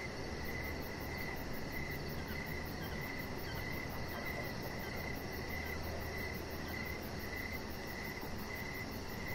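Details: Chorus of crickets chirping at evening by a deck lit with decoration lights, a chihuahua puppy lying there; rhythmic mid-pitched pulses repeat without pause, a faint high ticking trill above, low hum underneath.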